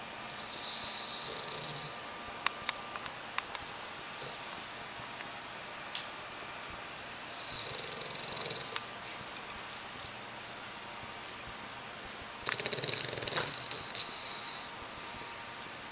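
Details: An Olde English Bulldogge snores in his cage with his head resting on a toy, giving slow, hissing, breathy rasps every few seconds.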